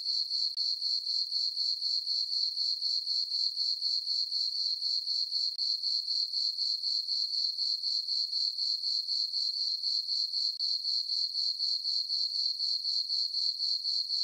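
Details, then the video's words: Summer-night crickets in a moonlit farm meadow keep up a continuous, thin, high trill, evenly throbbing about four times each second, and no other animals or noises are heard. "Cricket chirping sounds for sleeping"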